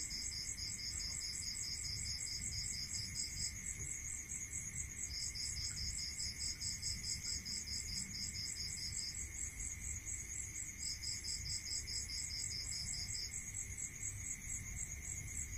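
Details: Crickets at night in a rural area: bright, rapid pulsed chirping in long trains lasting several seconds, separated by short pauses, over a higher continuous pulsing chorus and a steady lower ringing drone, with a faint low rumble underneath.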